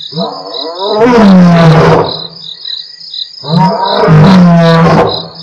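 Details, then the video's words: Pair of Mapogo Coalition lions at Nkorho, 12/11/07, from Africam's live stream, giving two long, deep, rumbling roars about three seconds apart, each rising from a short grunt; insects trill continuously behind. "Continuation Of Lions Roaring"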